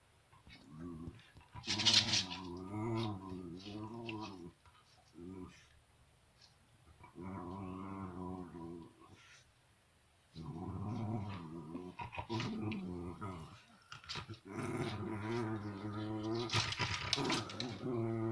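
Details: Sarge, a dog, growling while playing with toys on January 17th, 2018: low, wavering groans and grumbles in several bursts of a second or more, rising and falling in pitch, with short pauses and a few sharper noises between them.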